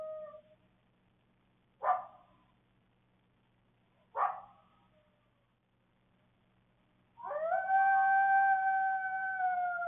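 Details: Evening coyote on a security camera in Waukesha County, Wisconsin: the tail of a howl, two sharp barks about two seconds apart, then a long sustained wavering howl, with faint electrical hum underneath.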